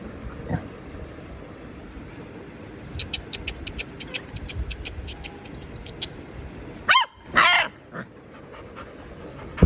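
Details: Domestic dog barking naturally in its surroundings: after several seconds of faint ticking, two short, harsh barks burst out close together near the end, followed by quiet.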